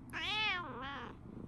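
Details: Tabby cat indoors in the morning, seemingly complaining to its owner after waking to find the Shiba dog gone on its morning walk: one drawn-out meow rising then falling, followed by a shorter second syllable.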